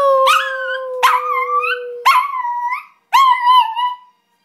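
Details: Izzy, a terrier, singing in four wavering howls about one second apart over a steady held lower tone, the last howl louder and warbling before fading; a person then calls her name.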